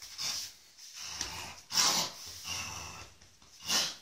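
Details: Soft Coated Wheaten Terrier named Iulius Planus Quadrotto giving three loud, breathy, hissing snorts with quieter snuffling breaths between them, spaced about two seconds apart, close to the microphone.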